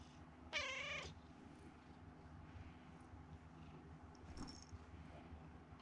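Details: Domestic cat, a rescued kitten now grown, kept indoors at home, with one eye only partly sighted: a single short, level harmonic meow lasting about half a second, followed by quiet room background with a faint brief high tone.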